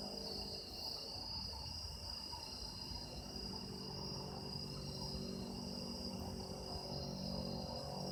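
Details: Chorus of autumn insects captured as sound-effect material, a steady shrill ringing held in stacked high bands without pause, over faint low-pitched background hum.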